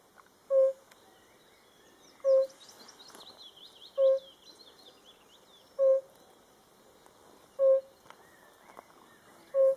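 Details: A yellow-bellied toad (Bombina variegata) calling in Hungary gives soft, hollow single notes, evenly repeated about every two seconds.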